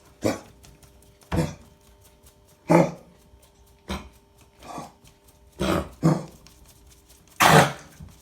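A Cocker Spaniel coughs in harsh, broad bursts, roughly one every second, with kennel cough.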